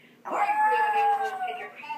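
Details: Puppy indoors howling on hearing its owner's mother's voice on the answering machine; a single drawn-out, slightly wavering howl held for about a second and a half, fading at the end.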